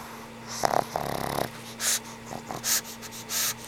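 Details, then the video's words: Frank N. Stein, an old pug, snoring while asleep: a raspy, rattling snort, then a series of breathy, hissing breaths about every 0.8 seconds, over a faint steady room hum. "Sweet old pug snores"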